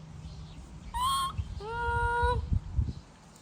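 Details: Baby monkey wailing as its mother leaves: a brief high cry, then a longer steady tonal whine, with soft knocking and rustling in the background.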